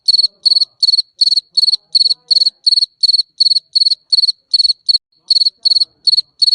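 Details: Cricket sound for repelling rats: bright, piercing chirps made of rapid pulse clusters, steadily repeated nearly three times a second, with one short gap near the end and little other noise.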